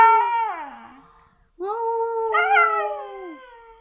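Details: A female Siberian Husky, said to sound like a little wolf, howls in two long, harmonic-rich notes: the first slides down to a low moan, then after a pause the second swells, holds and fades.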